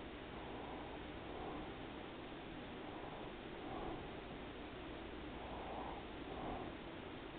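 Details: A resting house cat named Daisy purrs steadily. Each breath in and out makes a soft, rumbling pulse, repeated in an even rhythm under a low room hiss.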